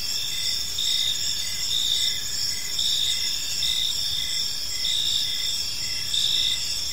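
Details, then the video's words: Park crickets at dusk, several overlapping high shrill trills with short chirps repeating about once a second, steady throughout over a gentle low hum. "Cricket Sounds in a Peaceful Park"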